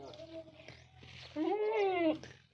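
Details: Beetal goat bleating: a faint, short harmonic call first, then a loud, strained, wavering bleat of under a second that rises slightly and falls away, with faint background voices.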